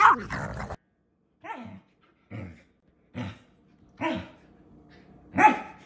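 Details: Female pet Samoyed Aria back-talking: after a brief human voice, a string of short, throaty grumbling barks spaced about a second apart, each rough and low-pitched, the last one louder.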